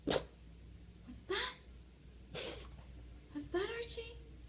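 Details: A Boston Terrier mimicking a sound makes short snorting bursts and rising, wavering whine-like vocal sounds in a small room while being asked "what's that".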